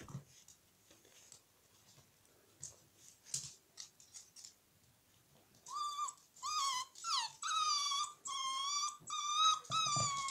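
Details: Pembroke Welsh Corgi puppies indoors: soft scuffling and faint clicks, then from midway a run of loud, high whining squeals with stacked harmonics, some rising and falling, about ten cries in quick succession.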